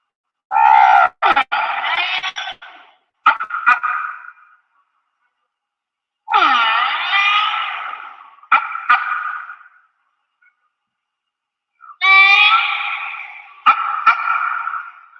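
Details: Recorded humpback whale song, a species whose songs can last twenty minutes to half an hour and repeat all day: three harmonic, moaning phrases, each sweeping and wavering, roughly every six seconds, with short pulsed bursts between them.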